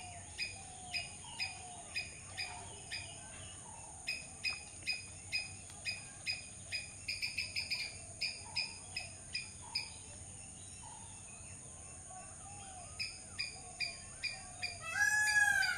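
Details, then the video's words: Squirrel calling: sharp, clicky chuck notes repeated about two or three times a second in bursts with short pauses, over a steady high insect-like hiss and faint lower bird whistles, ending in a loud rustling burst. "squirrel sound"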